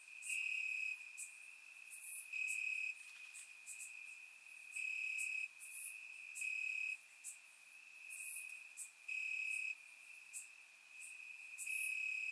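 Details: Grass crickets calling at night in summer, Bulgaria: a constant piercing trill with regular loud pulsed bouts roughly every two seconds, alternating with quieter gaps, plus occasional very high clicks from other insects.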